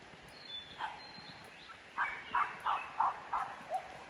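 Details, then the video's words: Two puppies met outdoors on the road to Munam village: after a faint early yelp, a run of five quick, even barks about a third of a second apart, with a high bird note faintly behind. "문암마을 가는 길에서 만난 강아지 둘"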